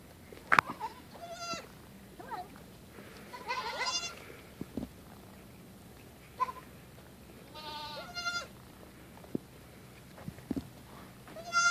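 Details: Baby goat kid, female, playing by leaping onto and off a tree stump and running around. Short, bright, quavering bleats come roughly every two to four seconds, about four in all, with thumps and rustling from her jumping between calls.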